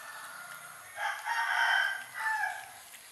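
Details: Hungry kittens being fed chicken meat give a cluster of overlapping, tonal mewing cries, rising and falling across about two seconds, with a short pause before a final meow; faint background hiss.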